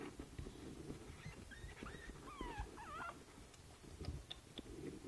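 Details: Boston Terrier puppy Princess Izzy at five weeks, in a basket on 12/4/2011, letting out a few soft, squeaky whines that curl up and down, partly buried under a steady low rumble.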